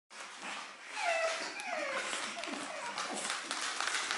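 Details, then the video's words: Seven-week-old pug puppies giving high, wavering whimpers that slide downward in pitch, several thin squeals overlapping through the middle, over a steady hiss and soft rustling. "pug puppies, 7weeks"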